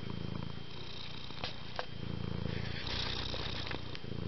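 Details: Cat purring while sleeping on a bed: a steady, low rumbling purr that pulses rapidly throughout, with a faint high electrical whine and a few soft clicks in the background.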